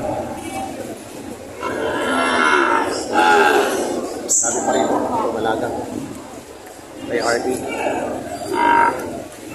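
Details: Cattle, breeding cows and heifers at a Lemery livestock auction on June 13, 2025: drawn-out harmonic moos near two to three seconds and again around eight seconds, set against steady crowd chatter and market noise.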